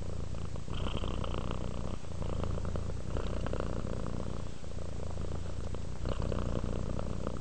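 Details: Purring from a relaxed, sleepy cat: a continuous deep rumble that swells on each breath and dips briefly between them, with light hissy breath noise above and a quiet indoor background.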